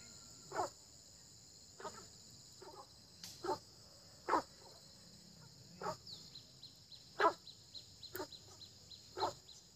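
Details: Frog croaks heard in early spring: about nine curt, rough calls repeated roughly once a second at uneven intervals, over a continuous high-pitched insect whine.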